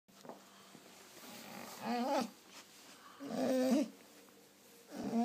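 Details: German Shorthaired Pointer talking in the morning indoors: three drawn-out, wavering, moaning yowls roughly one and a half seconds apart, each rising and falling in pitch.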